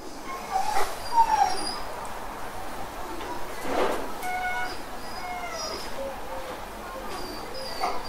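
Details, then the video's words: Domestic dog crying and whining: thin, wavering high whines come in short, uneven bursts and rise and fall, over a constant rushing background hiss. "Dog Crying Sound"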